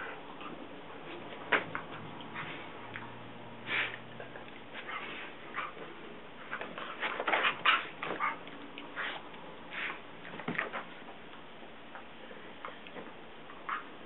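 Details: Two Basset Hounds at play in the morning: Guinness, almost 7, lying on the couch, and younger brother CJ, almost 3, pestering him. Clusters of short yips, whines and snuffling bursts, busiest midway, then sparse, in a quiet indoor room.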